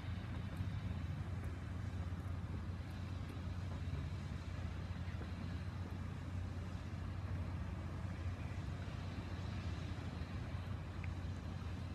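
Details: A steady, deep rumble of passing road traffic fills the recording, with no animal voices heard.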